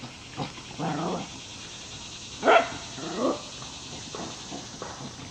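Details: Shy female Wire Fox Terrier, rescued from a puppy mill auction, now playful in a foster home among other dogs; one sharp bark in mid-clip is followed by a softer bark, with faint low growly sounds scattered around them.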